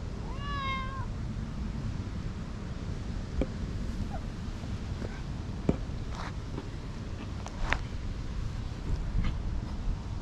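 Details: Brief rising-then-falling meow at the start from a tortoiseshell cat woken from napping in a tree and fondly rubbing against someone, followed by several seconds of rustling, clicks and steady low outdoor rumble without further calls.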